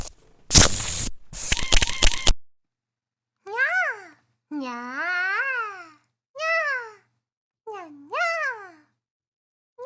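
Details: Kittens in a funny cat compilation: after a burst of harsh scraping noise, five clear, high meows follow, each rising then falling, spaced by short silences.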